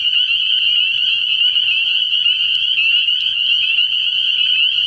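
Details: Many spring peepers calling together at a frog pond on an early-year night, high sharp peeps blending into a continuous bright trill, with a few louder individual clicks standing out.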